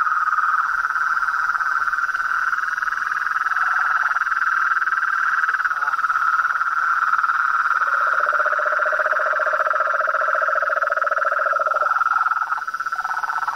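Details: Toads, frogs and a treefrog calling in the wild: a dense, steady chorus of pulsed trills, with a higher band running throughout and a lower rattling trill joining midway before a brief drop near the end.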